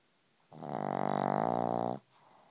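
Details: A pug snores right beside the listener, giving a single long, rattling, throaty inhalation of roughly a second and a half that swells and then cuts off abruptly, in a quiet small room.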